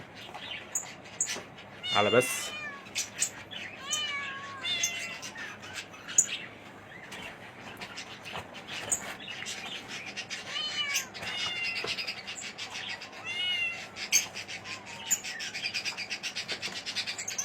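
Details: Himalayan kittens, a male and a female, 45 days old, giving repeated thin, high arched meows in short bursts, with background music and a woman's voice speaking Arabic.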